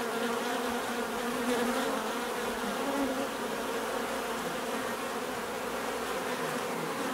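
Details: Bees in a natural setting, a dense steady buzzing hum with many wingbeat tones layered between low and middle pitch, continuous without pauses, a few brighter tones drifting in and out of the swarm sound.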